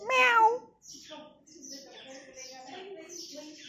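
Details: Lonely stray cat living near a home: one clear, loud meow that rises and then falls, lasting about half a second, followed by several seconds of quieter human talking.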